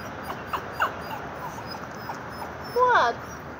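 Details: Chihuahua-terrier mix dog begging for a walk: a brief high whine early on, then a louder burst of short, wavering whimpering squeals near the end, over a steady soft background hiss.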